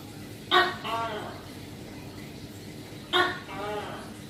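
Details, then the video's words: Tokay gecko seen hunting prey up close, calling twice roughly 2.6 seconds apart: an abrupt bright opening note, then a drawn-out nasal, lower second part. Constant faint background hum. "Tiếng Kêu Của Tắc Kè Bông | Chameleon hunt | Sound of Tokay Gecko"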